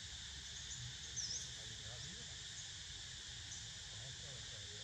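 Cicadas make a steady, high-pitched buzzing drone that carries on without a break.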